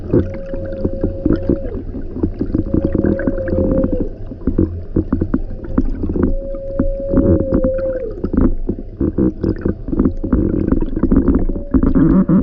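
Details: Humpback whales feeding in summer off Alaska, recorded underwater, call in long, steady, horn-like moans, with low rumbling and water noise beneath.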